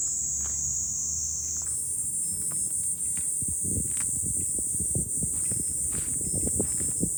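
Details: July cicada chorus heard from a hilltop lookout above Fukuoka city, Japan: a continuous piercing high buzz that rises a step early on, over low wind rumble and scattered soft knocks and rustles.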